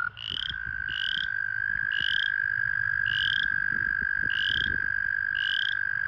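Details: American toads trilling in breeding-season pools where they gather and mate: a level, sustained trill runs the whole time, punctuated by six short rising high peeps about once a second over soft low background noise.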